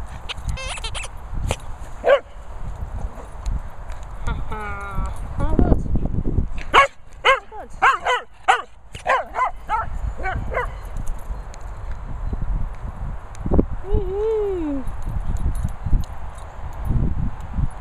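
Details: Cocker Spaniel named Benji barking while retrieving at a training kennel in Worcestershire countryside; scattered sharp barks mostly in the middle stretch, with a long drawn-out whine near the end, over low rumbling background noise.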